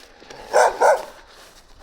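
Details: Gampr, a stray dog found on the street in Abovyan, Armenia, whose owner is being sought, gives two short, sharp mid-pitched barks in quick succession, with quiet background before and after.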